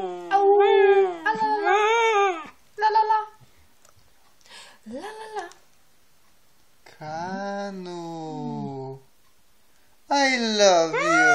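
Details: Siberian Husky indoors in a small room, giving a run of wavering, harmonic vocal 'talking' sounds in bursts of about one to two seconds, rising and falling in pitch, with quiet pauses between, last burst swooping sharply.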